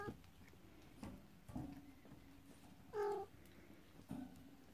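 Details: Indoors, with occasional thumps, one brief, bright meow comes from Cornish Rex and Scottish Fold kittens making their first trip out.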